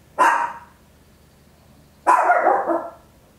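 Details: Two loud, harsh barks from a small Papillon at home, about two seconds apart, the second longer and drawn out; stereo home recording made with an Olympus LS-11.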